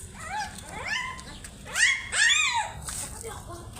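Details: Puppies making silly noises while trying to find their mother: a series of high, arching whines and squeals, several rising then falling, some overlapping, with soft background noise.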